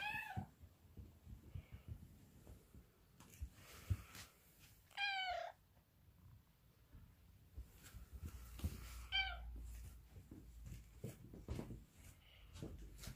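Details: Pet cats indoors during their owner's morning routine: three loud, drawn-out meows with rich harmonics, each wavering in pitch, spaced about four seconds apart, amid soft thumps and household clatter.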